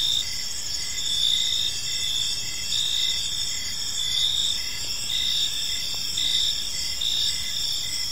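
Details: Evening cricket chorus in a park, high-pitched and steady, with regular pulsing chirps riding over a constant ringing trill and no other clear sounds.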